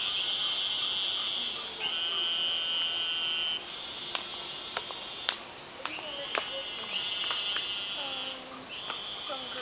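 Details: Eastern narrow-mouthed toads chorusing: long, high, nasal buzzes of about two seconds each, overlapping and repeating, with a person talking and scattered sharp clicks.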